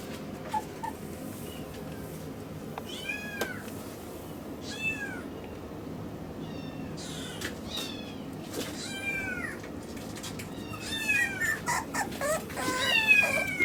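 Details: Young male Miniature Schnauzer at a Yokosuka, Kanagawa pet shop, born August 2015: a run of short, high squeaky whines and yelps that grows faster and louder toward the end, over background hiss.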